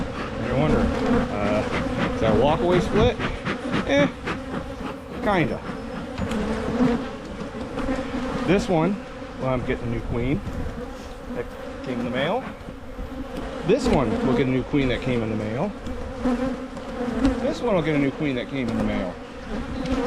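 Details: Honey bees swarm around hives in Michigan as splits are made to prevent swarming, a continuous low hum overlaid by many passing bees whose buzz rises and falls as they fly by.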